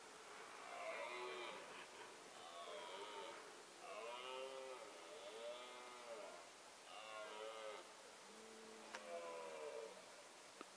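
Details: Rutting-season bellows of a male red deer, filmed with a Nikon D7100 and 300mm lens: a series of fairly distant, moaning harmonic roars, rising and falling in arcs, repeated about every one to two seconds over a hissing background.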